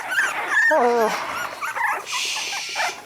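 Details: Squeals from three-week-old puppies, one little pup objecting to being on his back; sharp, sliding cries that drop in pitch, then softer whines under a hissing rustle.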